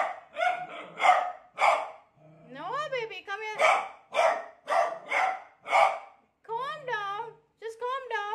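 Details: Frightened of a new cot, a beagle alternates clusters of hoarse barks with rising, sliding yowls, ending on drawn-out, wavering bays.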